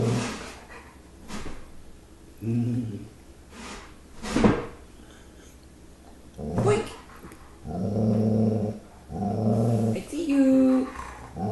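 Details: Liam, a Giant Schnauzer pup, facing a bear he does not know what to make of, indoors; short low growls and grumbles repeat, rising to longer rumbling growls near the end, with a woman's voice calling to him.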